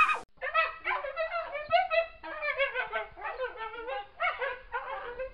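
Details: Coyote (Canis latrans), howls and yips.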